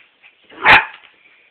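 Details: A small white dog gives a single sharp bark while frightened by a hairdryer indoors, a short burst with little else around it.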